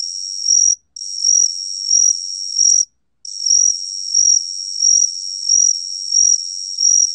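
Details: High-pitched ringing trill of the gaksi cricket (각시귀뚜라미), recorded by the National Institute of Biological Resources in 2020, nearly unbroken with rhythmic swells about every 0.7 seconds and two short pauses.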